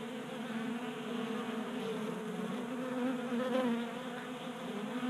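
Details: Wintertime honey bees in a Colorado garage, burning fat stores in unseasonable heat while feeding at a table feeder. Steady buzzy drone of multiple wings, rising briefly in loudness past three seconds as a bee passes near.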